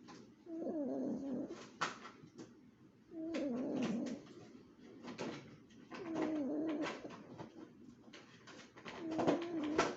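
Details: A sleeping Chihuahua snoring: four rough, airy breaths about every three seconds, each carrying a wavering nasal whistle under a breathy rasp, with quiet pauses between them in a small indoor space.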